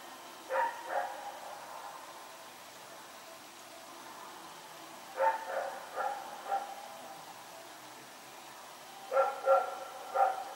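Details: Rex, a dog running around at night, recorded on Sep 21, 2018: three bursts of two or three sharp barks, spaced about four seconds apart, with quiet between.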